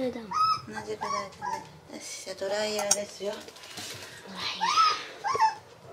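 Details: Two Toy Poodle puppies panicking at their first bath cry in high, wavering whimpers, each rising then falling, repeated in quick bursts, with clattering dishes and a brief spray of water in a small indoor room.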